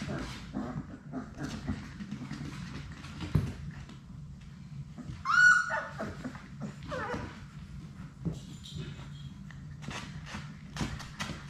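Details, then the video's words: In an indoor play room, one of six Labrador Retriever puppies gives a sharp, thin, high whine midway during play. Softer whimpers, rustling, clattering paws and a steady low hum fill the room around it. "Labrador puppies at play!"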